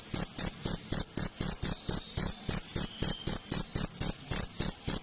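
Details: Shrill cricket chirps pulsing steadily at nearly four per second, each a brief bright high-pitched burst, loud and near, nothing else audible.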